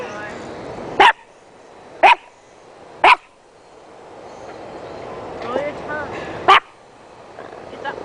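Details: Crazy noises from Beckett the dog: three sharp single barks about one second apart, a pause with soft voice-like sounds, then one last bark.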